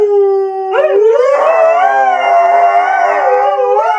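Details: A Siberian Husky howling on request, one long sustained howl that starts steady, rises and then wavers up and down, rich and harmonic throughout, with no other sounds.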